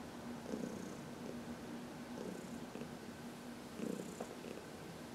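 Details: Purring of Heidi, a 14-year-old rescue cat, during a massage in the sun, March 19, 2021: a continuous soft rumble with louder breathy surges near the start and end.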